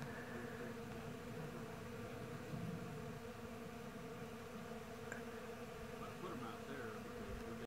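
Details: Thousands of honey bees fly around a blooming Bradford pear tree in spring in the Missouri Ozarks, making a dense, continuous low droning hum without breaks, with faint background noise.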